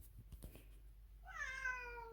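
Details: Pet domestic cat indoors cries loudly on seeing the carrier brought out for an annual vaccination trip to the vet; one drawn-out, wavering meow that slowly falls in pitch, following a woman's voice and faint handling noises.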